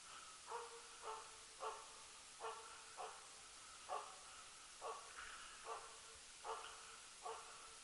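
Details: Jämthund named Rapp barking while loose-hunting elk, during the 2012 season's tenth elk. Eleven steady, somewhat distant barks come roughly every 0.7 seconds, each short and mid-pitched with a harmonic ring, over a hissy outdoor background.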